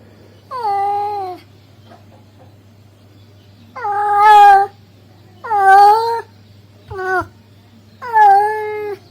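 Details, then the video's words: Calling to a female, a male cat gives five loud, harmonic meows, mostly long with a slight waver, plus one short clipped cry, spaced by irregular gaps over a faint low hum. "the sound of a male cat calling a female cat"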